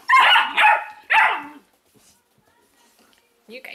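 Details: Weimaraner puppies from an Indigo and Magnum litter, indoors: three loud, high, harmonic yelps in quick succession over the first second and a half, then near silence with a faint rustle at the end.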